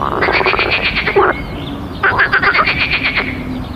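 A frog gives rapid, pulsed croaks in two bursts, each a rattling run of clicks.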